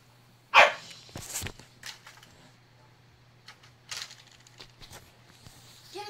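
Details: Pet corgi, a moth-killer, barking in frustration at a moth out of reach: one loud sharp bark, then a string of shorter, softer barks and yips spread over six seconds in a quiet room.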